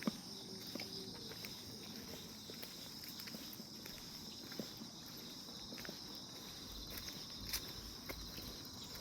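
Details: Grass insects on a calm morning, a steady high-pitched shimmering drone in several layered bands that holds throughout, broken by scattered soft taps and clicks like footsteps in the background.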